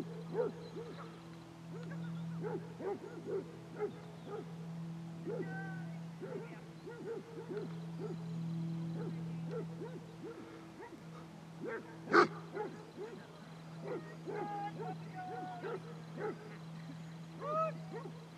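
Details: Twenty-two Basset Hounds out walking at Belwade Farm, Dess, Aboyne, in October 2016, trading a long run of short, bouncing bays and occasional higher yelps, one sharp loud bark standing out midway, over a constant low drone.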